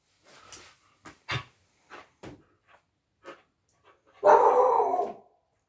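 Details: Female Siberian Husky playing with her plush puppy toy gives a series of short, sharp barks spaced irregularly, then ends with one loud, drawn-out, noisy woo-like vocalization lasting about a second.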